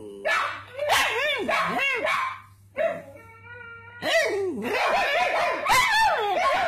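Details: Pet pug, a male, answering a person who barks at him. High, bending yelps and whiny barks come in quick bursts and overlap with human barking, followed by a brief pause and a tonal whine.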